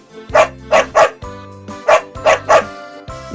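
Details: A Border Collie, a herding breed of Great Britain, gives a string of sharp, mid-pitched barks, in pairs and singles, over soft music.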